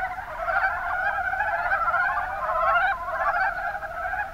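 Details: Short burst of a Mountain brown frog chorus (Rana ornativentris) from the Kuma Basin in Kumamoto Prefecture, Japan; a seamless wash of rapid, rattling croaks from many frogs, staying loud and even throughout.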